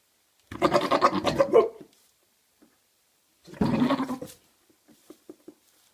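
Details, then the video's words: Maine Coon cat, one of a father-and-son pair likened to goats, giving two rough, pulsing, bleat-like calls, the first about a second and a half long and the second shorter, then a few faint soft clicks. "Maine Coon "Goats-father and son""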